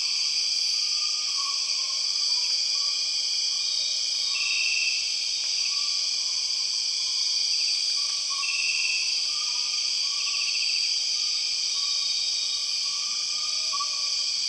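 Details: Borneo jungle soundscape ruled by empress cicadas: an intense, even, high droning hum lasting throughout, broken by occasional short raspy bursts and a few faint clicks, with scattered quiet whistled notes lower down.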